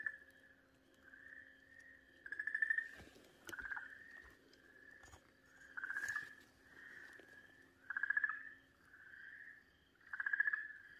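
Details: Okinawa green tree frog screaming while a Pryer's keelback snake bites it, recorded 4 March 2023: nasal, wavering wails in pulsed bursts about every 1.5 to 2 seconds, alternating louder and softer, with scattered sharp clicks and a faint low hum.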